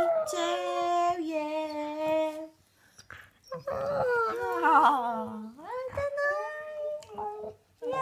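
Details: A Siberian Husky howls in long, wavering, sliding tones, "singing" along as people sing Happy Birthday.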